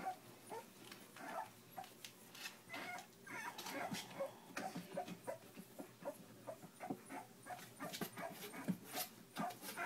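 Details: Whimpering from young pups at three weeks old, a steady patter of short squeals and soft whines from several animals at once, some brief upward-sliding cries mixed with shuffling.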